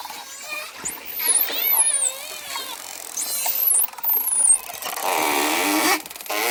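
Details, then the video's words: Dolphin sounds set against ocean waves: sharp, very high whistles sweep down and up in two clustered bursts, with lower wavy tones and a rushing, splashy noise toward the end. "Therapeutic Sounds of Dolphins"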